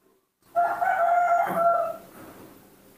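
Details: A newborn baby monkey, crying as it does every morning after waking, gives one drawn-out, tonal, wailing scream while calling for milk; it is described as bad-tempered and throwing tantrums even when fed.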